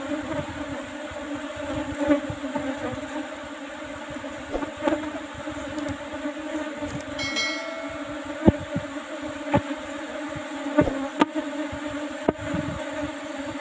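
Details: Apis cerana honey bees buzzing as honey is harvested from an old wooden hive box covered with a used asbestos lid; a loud, steady droning hum, broken by sharp clicks and knocks from handling the box.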